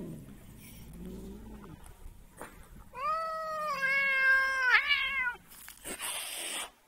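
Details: Domestic cat being deliberately annoyed gives a long, drawn-out wavering yowl lasting about two and a half seconds, rich in harmonics and rising slightly before breaking off. Soft low rumbling noises come before it, and a noisy burst follows.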